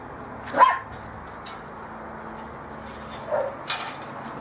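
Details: Bearded Collie puppies from the M litter playing on a roof terrace. A sharp, high, rising yip sounds once near the start, then two softer short yelps follow about three seconds later over steady background hiss.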